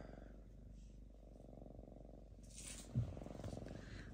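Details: Drowsy lynx living in an apartment purrs as it falls asleep, a low tractor-like rumble holding steady, interrupted by a brief rustle and soft thump near the end.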